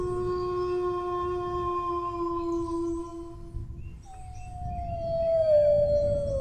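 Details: Dog howling: a long, steady, slightly falling tone with rich overtones that holds for about three seconds, fades, then returns after a short break as a higher, slowly sliding note. A low rumbling background runs throughout.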